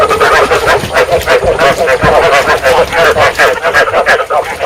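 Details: Many rice field frogs croaking together, a breeding call used to draw frogs into traps; loud, continuous chorus of harsh pulsed notes packed closely in time.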